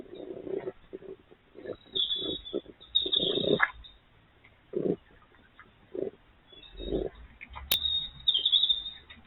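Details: Wild urban red fox vixen and her youngest cub talking to each other: low throaty bursts and grunts come in irregular clusters, mixed with high, thin squeaky tones, with one sharp click near the end.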